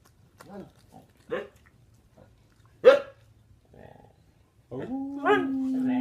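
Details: Huskies singing on command while performing tricks: short yelping calls, then a long steady howl holding one pitch near the end, with a woman's voice urging them to sing and speak.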